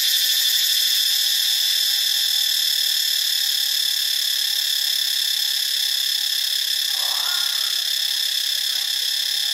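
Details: A loud, unbroken cicada drone from Ubon Ratchathani, Thailand, with shrill stacked tones that pulse briefly at the start, then hold steady. A faint soft chirp from another animal is heard midway.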